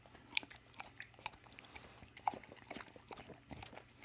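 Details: Dawg, a female American Staffordshire and American Bulldog mix pitbull, having an evening snack of peanut butter, her favorite; soft wet lip and tongue smacking with scattered sharp clicks, indoors in a small quiet room.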